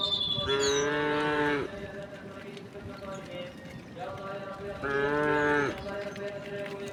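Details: Cows and oxen in a huge herd, thousands strong, ambling along a rural road to their resting place; two drawn-out harmonic moos about four seconds apart, with steady low background noise and a faint bird chirp.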